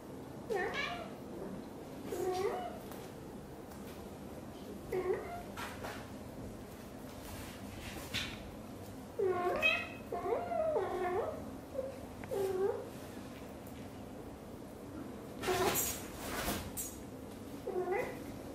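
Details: Mother British Shorthair cat, blue golden, indoors, talking nonstop while grooming her tiny kitten: a long series of short, clear meows, some single and some in quick bursts of three or four, with soft rustling and a brief louder noise burst.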